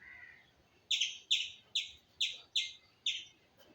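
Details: Squirrel giving six abrupt, bright chirps spaced about half a second apart, each falling slightly in pitch, preceded by a softer lower note; little else audible.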